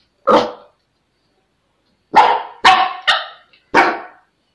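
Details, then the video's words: Pomeranian puppy in a pet sitter's care giving five sharp, short barks: one bark, a pause of nearly two seconds, then a quick run of four, with silence between them. "pomeranian puppy"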